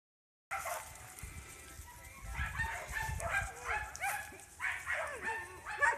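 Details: Dog family, Riko with three little pups: high, squeaky yips and short barks come in uneven bursts after a brief silence, while a person calls softly in the background.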